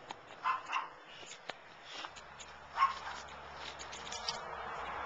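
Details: Chow Chow fooling around while playing with dad; a few short, mid-pitched yelps or whimpers, two close together near the start and one louder near the middle, over steady scuffling and rustling.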